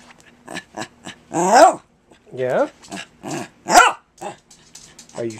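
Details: Kirby, a pet dog, keeps insisting on something to his owner in a talky run of groans, whines and grumbling yowls with arching pitch, repeated in short bursts with brief pauses, a person speaking quietly between them.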